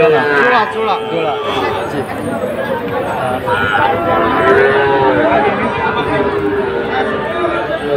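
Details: At Ambari market in Dinajpur, Bangladesh, small Sahiwal bull calves are traded in late May 2024. A few wavering, mid-pitched lows sound through a constant babble of buyers' voices.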